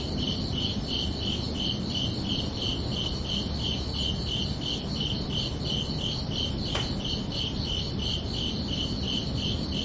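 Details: Crickets at night keep up a rapid even series of shrill chirps, one brief sharp click near the end, all above a constant low hiss.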